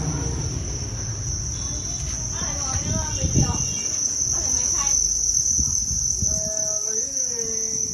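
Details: Farmed Thai crickets at Thanh Xuân farm in Vietnam: a steady, high, unbroken shrill trill carries throughout, with a man's voice talking over it in the middle range and some low rumble.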